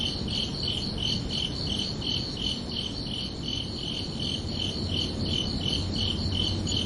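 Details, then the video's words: Chirping crickets under a night sky: bright, high trilled pulses repeated steadily about three times per second, with a low steady rumble and faint hum beneath. "Calming Cricket Sounds for Relaxation"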